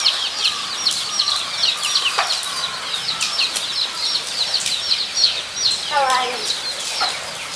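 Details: Several guinea pigs at Nogeyama Zoo on 23 September 2012 keep up rapid, piercing downward whistles. A human voice and occasional sharp knocks are heard among the calls.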